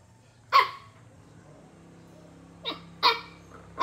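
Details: A Chow Chow acting as a bully gives short, sharp barks, one alone and then three in quick succession.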